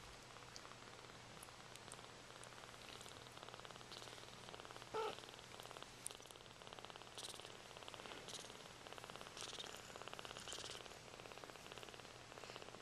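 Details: Sphynx cat mother, freshly bathed, with her kittens as they are loved and cleaned; soft steady purring runs throughout as a fine rhythmic rumble, quiet and close, with faint rustling and a few light clicks.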